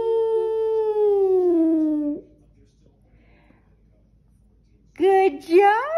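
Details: Skipper the Boston Terrier, singing after waking up, lets a drawn-out howl sink gradually over two seconds. Near-silence follows, then a fresh burst of wavering, rising howls.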